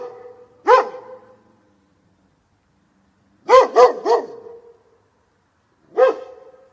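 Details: Clean dog barks: one bark, then a quick triple burst, then another single bark, each ringing with a short resonant tail in silence.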